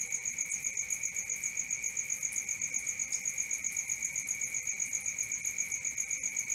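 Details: Cricket chorus recorded at night: rapid, regular high chirps about four per second, layered with a lower steady tone, constant level from start to end.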